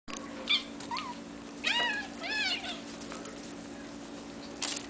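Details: Sphynx and Bambino kittens from a cattery litter, hairless breed: several short high kitten meows with rising-then-falling harmonic sweeps, one after another near the middle, over a steady low hum and faint clicks.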